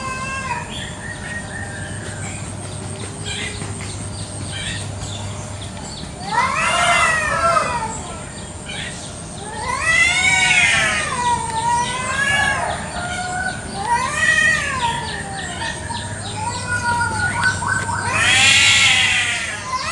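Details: Free-roaming village cats squabbling over territory in a garden one morning, a village chicken nearby: loud arched yowls that rise and fall, coming in bursts separated by quieter wavering moans, over a steady low hum.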